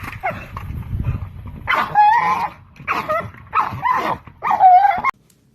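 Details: Dog, an American bully type, making funny vocal sounds during play: four loud, broad, groaning bursts with a whining tonal edge in under five seconds, a low rumble before them, and a person asking about a belly rub.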